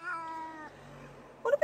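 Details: A male Tonkinese cat complaining in the car on a short trip to the vet for annual vaccinations gives a drawn-out, steady whining meow, then short sharper mews.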